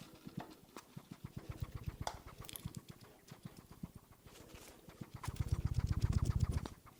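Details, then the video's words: Hedgehog that ran out onto a lawn, recorded on a RODE NTG 3 microphone, snorting and chomping: rapid soft low clicks and chewing smacks about four per second, growing louder toward the end. "Ёжик фыркает и жуёт / Hedgehog snorts and chewing"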